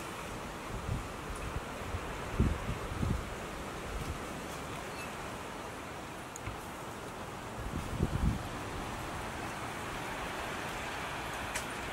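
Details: Steady wind or distant surf-like rushing with a few low thumps, and no animal voice. Brief low-pitched bursts rise out of the noise but carry no clear call.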